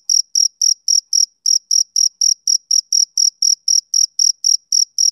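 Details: A male cricket's summer-evening song: a fast series of high, buzzy chirp pulses, about four per second, with a slight pause near the one-and-a-half-second mark, in an otherwise silent setting.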